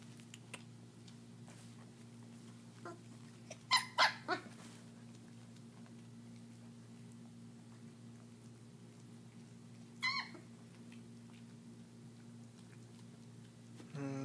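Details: German Shepherd puppies about 3.5 weeks old eating raw meat for the first time, indoors; two short bursts of high whimpering yelps near four and ten seconds over soft chewing patter and a steady low hum.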